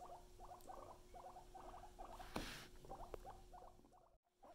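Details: Guinea pigs Luna and Chip kept as pets give quick, rhythmic chuttering pulses in small clusters about every quarter second, over a low constant hum, with a brief rustle midway and sudden silence near the end.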